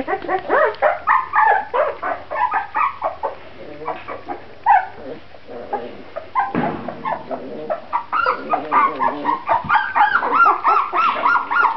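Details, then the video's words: Several Grand Basset Griffon Vendéen puppies, Viersenhoeve kennel, keep up a steady chorus of short rising-and-falling squeals and whines, several at a time, louder and denser toward the end. "Pups Grand Basset Griffon Vendéen van de Viersenhoeve"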